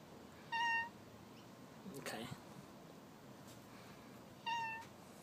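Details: Talking pet cat at home gives two short meows about four seconds apart, with a soft thump or rustle between them and a quiet indoor background.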